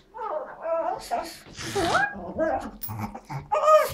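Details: An excited female Pekingese, told it is time for a walk, makes warbling, turkey-like gobbling whines in quick bursts while a person talks to her.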